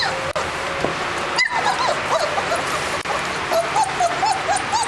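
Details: German Shepherd puppies from a registered Colombian litter of seven, born 10 May 2011, whining in thin, arched whimpers that rise and fall, coming quicker toward the end over a steady background hiss.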